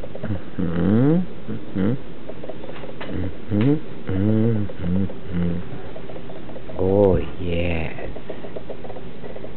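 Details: Newfie siblings Burley and Miss Priss wrestling for fun, making short choppy grumbling growls and a couple of higher moaning yowls, with some human speech in the background.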